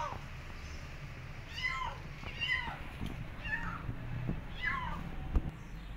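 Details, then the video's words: Two abandoned feral kittens during a late-night rescue at a house, described as hissing and spitting; in this clip come four faint, high, arched mews about a second apart over a low background rumble. "Kittens Hissing & Spiting"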